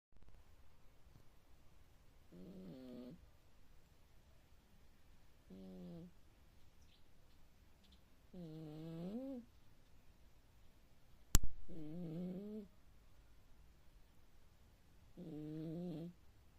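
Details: Sleeping cat snoring loudly like a grown man: six voiced, humming snores, each under a second and slightly wavering, spaced about three seconds apart, with one sharp click midway in a quiet room.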